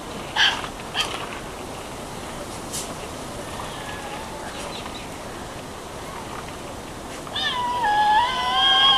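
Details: Large captive Tasmanian devils in an enclosure at a wildlife park in Bicheno, Tasmania, scream at each other before feeding time, giving brief harsh cries, then a wavering, drawn-out screech near the end.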